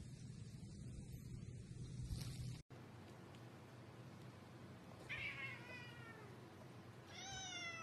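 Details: Cat meowing in a funny kitten compilation: after steady background noise, a short harmonic meow near five seconds, then a second rising, higher meow near seven seconds.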